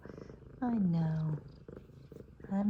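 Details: F2 Savannah cat, one of two cats happy to see their owner, giving a drawn-out meow that dips and then holds a steady tone. A quieter second meow rises near the end over a low purring rumble.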